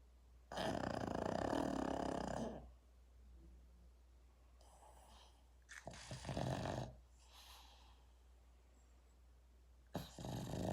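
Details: Pug snoring: a long, raspy, rattling snore lasting about two seconds, then quiet breathing. A shorter snorting snore follows near six seconds, and another starts at the very end.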